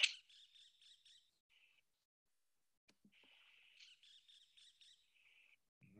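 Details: A frog from southern Brazil, heard calling from a low stream, gives two bursts of high, chirping, bird-like trilled notes, each about a second long and ending in a short steady whistle, against a quiet background.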